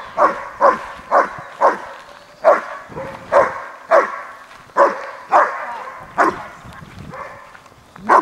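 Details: Horna, a German Shepherd, barks in sleeve-bite training on her first time gripping the sleeve: a steady run of about fourteen loud, deep, harsh barks spaced roughly half a second apart, with brief pauses.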